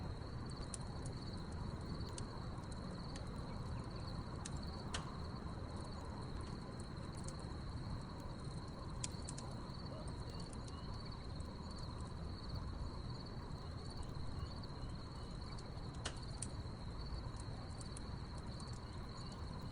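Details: A backyard campfire at night, with crickets keeping up one continuous high, even trill that never pauses, while crackling logs snap now and then above a deep steady roar.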